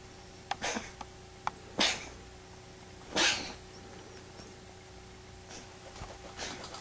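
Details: A small female pet cat sneezing on waking from a nap, a strange fit that looks like choking: short sharp hissing bursts, two strongest near two and three seconds, with softer snorts between in a quiet room.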